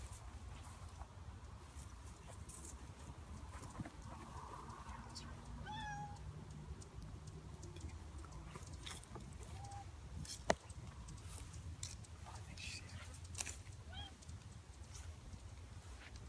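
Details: Snowshoe Siamese cat outdoors at Butterfield Stage Park in Temecula, California; a soft, short meow with a couple of faint tonal cries near the middle, over a steady low outdoor rumble and scattered clicks.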